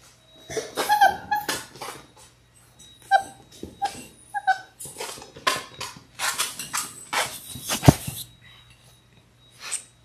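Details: Six-week-old Labrador Retriever puppies from a litter of six, filmed indoors on a live puppy cam; short squeaky whimpers and small yips scattered among rustling, scratching and sharp clicks from the pups moving about.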